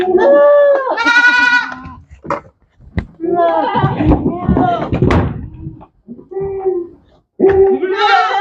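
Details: Goat bleats on a goat farm, quavering harmonic cries of about a second, broken by stretches of noisy clatter and rustling, with another bleat rising at the end.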